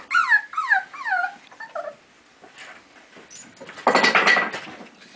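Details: Four 4-week-old basenji puppies at play give high, falling whimpers and yips, followed by a harsher burst of noise.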